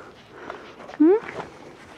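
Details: Border Collie puppies, not pedigree-registered, raised on the Domaine des Tourelles farm and being gently petted. A single short squeaky whine rises sharply, lasting about a fifth of a second, over faint background murmur.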